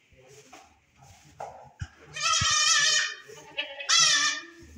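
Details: Saanen goats, a Swiss dairy breed, in Swat, Pakistan: two loud, wavering bleats, each lasting about a second, rich in harmonics, preceded by faint voices and soft thumps.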